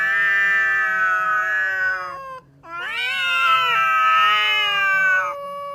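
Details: Two cats quarrelling on meeting: long harmonic yowls held for about two seconds, a brief gap, then a second voice rising into wavering, overlapping howls, some pitch slides near the end.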